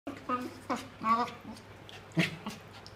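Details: A French Bulldog playing with a Corgi gives short, throaty grumbles and whines in quick bursts over a low steady hum.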